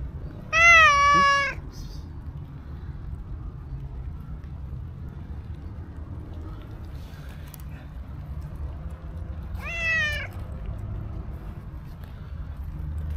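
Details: Black-and-white stray cat approaching a person, giving a loud drawn-out meow, then a quieter second meow about nine seconds later, with low outdoor background rumble between.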